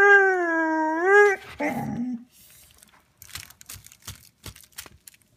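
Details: A Vizsla whines, frustrated and wanting a toy: a long steady whine with a slight rise at the end, then a short broken whimper, followed by soft scattered tapping and rustling.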